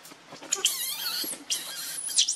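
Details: Baby monkey named Rainbow, hungry and begging its mother for milk while hugging her tightly; high, thin squealing cries in two long wavering bursts, sliding up and down, with faint rustling beneath.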